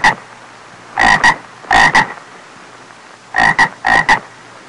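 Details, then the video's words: Small frog's call: rough, buzzy croaks in paired pulses, four doubled bursts following each other at irregular intervals, loud and close, with only soft hiss in between. "CHÚ ẾCH CON Tiếng kêu và hình anh của con ếch kêu ộp ộp"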